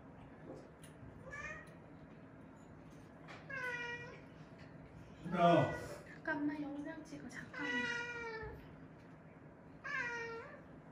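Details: Small weak kittens rescued while huddled together after a family funeral mew repeatedly, five or six thin, slightly falling cries scattered across the stretch, with a human voice speaking briefly in the middle.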